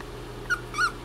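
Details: Young male Corgi puppy whimpering as it tries to climb out of a box, wanting to come out and play; two short, thin, high whines in quick succession and a fainter third, over a steady low hum indoors.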